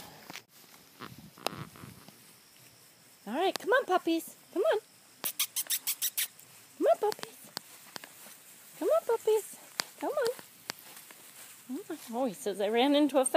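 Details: Labrador Retriever puppies, four weeks old, from a litter whelped August 14, 2012, utter repeated short arching whines and yips in separate bursts, with a rapid run of clicks in between and a person calling the puppies.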